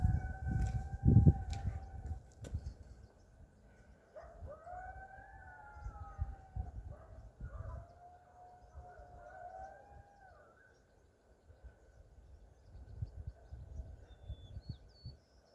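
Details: Coyotes calling near a fishing spot: after a loud thump, several long, wavering howls slide and overlap for about six seconds, then fade, leaving low rumble and quiet background.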